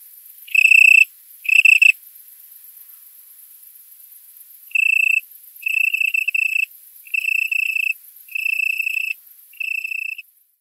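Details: A male Italian tree cricket stridulates on a warm night to attract a mate, singing soft, pure-toned trills of about a second each with short pauses; recorded September 27 at 20:00, 18℃, in a currant plantation.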